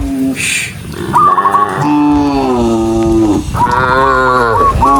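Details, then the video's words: Cows heading along a country road toward the barn give drawn-out lowing moos, one after another with a brief gap, and a short rising high note at the end; a brief noisy hiss near the start. "cow Sound cow Moo"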